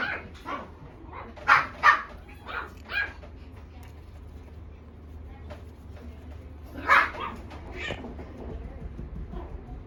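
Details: Young female black Shiba Inu, small mame-shiba size, giving scattered high yapping barks: a cluster of four or five early, a quiet gap, then a loud double bark with a couple of softer ones after, over faint background hum.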